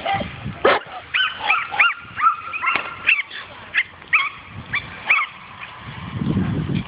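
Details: Dog at its first meeting with a wild boar, giving a rapid run of high, ringing yelping barks with bright rising and falling tones, several in close succession, then a lull with low rumbling noise near the end.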